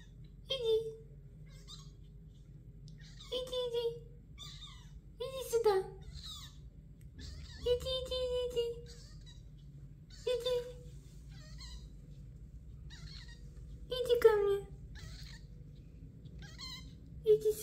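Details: Pinky, a 28-day-old kitten born to Melania, leaves her nest indoors and runs after her owner, meowing: short, steady, mid-pitched mews repeated every two to three seconds, with a woman speaking softly in Russian between them.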